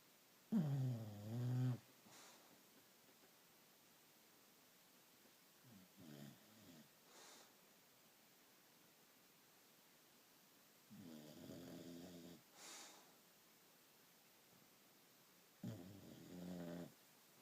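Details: Sleeping bulldog indoors snoring: deep, rumbling, raspy breaths in irregular bursts, about four loud snores over seventeen seconds with quieter breathing between, in a quiet room.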